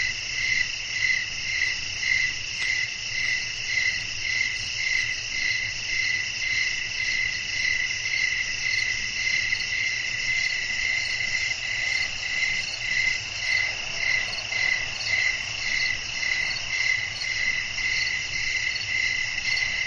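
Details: Crickets chirp through a long stretch of night air with wind. Several high, layered, whistling trills pulse evenly about twice a second, with a brief soft gust of broader noise midway.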